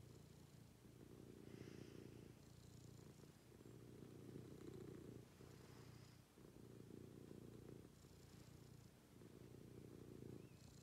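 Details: Domestic cat purring during a morning routine indoors: a steady low rumble pulsing in long rhythmic breaths about every one and a half seconds, with faint soft higher sounds drifting in occasionally.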